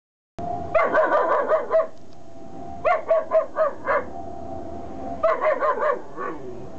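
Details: Three-month-old Kuvasz puppy barking at strangers: three bursts of rapid, sharp barks, each of about five or six barks, separated by short pauses, over a steady background hum.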